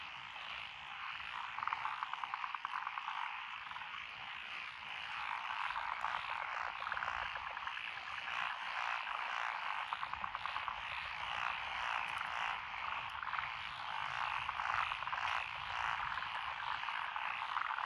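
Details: Lotus rice paddies by a rural road in Echizen, Fukui, Japan, 12 June 2021: massed frogs croak in a rough, rattling chorus, pulses running nearly two per second, steady throughout.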